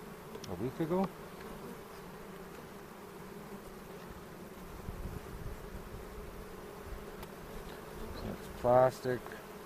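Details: A colony of honey bees drones during a springtime hive inspection near Cochrane, in foothill country, on April 27. The buzzing holds as a low, level hum, broken by short bursts of human speech near the start and again near the end.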